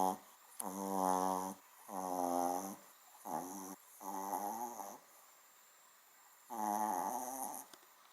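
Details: Small dog snoring like a large dog, indoors: five rasping, resonant snores, each one to two seconds long, some shorter and wavering, separated by brief near-silent pauses.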